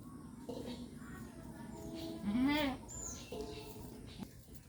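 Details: Castrated male goat, one of three of a good breed kept in a village at Gournadi, Barisal, Bangladesh, gives a single wavering, quavering bleat of about half a second midway, against a low background murmur.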